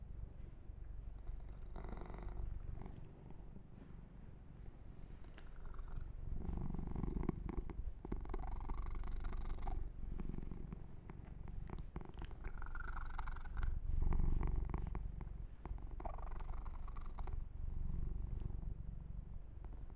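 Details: Deep rhythmic purring from Yumak, a kitten enjoying a massage with fur grooming; the low rumble swells and fades across twenty seconds, overlaid by repeated rustling strokes of hands through fur.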